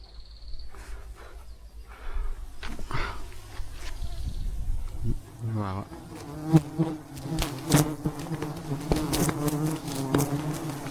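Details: Wild bees swarming around a giant beehive during a honey harvest high in the mountains; a low droning buzz builds after a quiet start with sharp clicks and knocks, a man exclaiming now and then.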